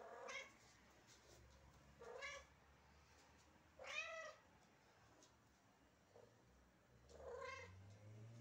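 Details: Domestic cat named Barbie, on a diet and begging for food, which she gets at exactly 9 pm; four loud, harmonic meows with a rising-then-falling arc, spaced about every two seconds, plus a brief faint chirp, in a quiet indoor room.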